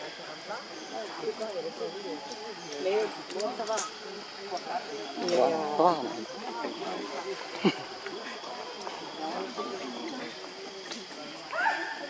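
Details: Lucie, a baby monkey, cries and begs for milk that its mother refuses; a long string of wavering, arched whimpering cries, some louder bursts midway, over a constant faint high-pitched hum.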